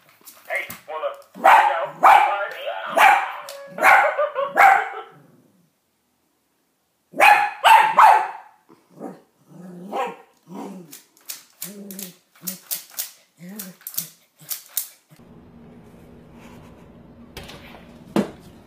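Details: Scared dog barking in a funny pet compilation: a run of harsh, broadband barks in the first five seconds, then a pause, more scattered barks and yaps, with a person's voice and a low steady hum near the end.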